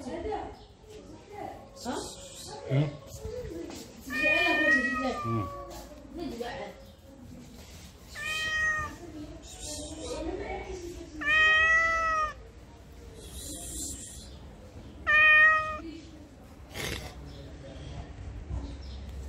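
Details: Street cat in heat in Morocco, sexually stimulated, letting out four separate short meows between stretches of human speech, each clear harmonic call lasting about a second.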